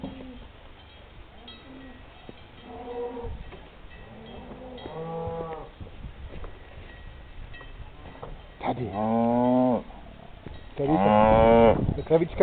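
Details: Alpine brown cows hurrying from a mountain dairy hut after milking, 20 June 2011: softer moos early, then two loud, long, strained moos near the end, with faint bell tinkling in the background.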